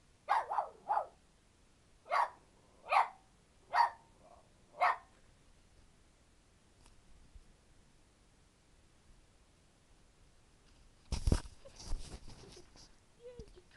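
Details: Pet dogs Titian and Teek barking indoors, a run of six or seven sharp barks in the first five seconds, then quiet, followed by a burst of clattering noise and a brief high squeak near the end.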